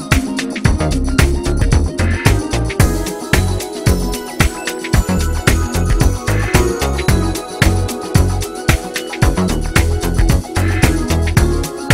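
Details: Upbeat disco-funk music with a driving steady beat, bass and bright percussion throughout, no animal sounds.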